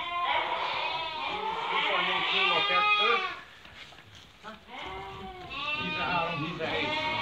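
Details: Merino sheep from Hungary being picked by a customer from Turkey: loud, trembling bleats from several animals for three seconds, a quieter lull with faint voices, then more bleating resumes.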